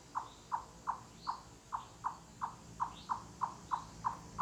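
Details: Repeated cluck call of a chipmunk, loud as knocking on wood in a forest; crisp hollow clucks spaced about a third of a second apart, with faint thin bird whistles above.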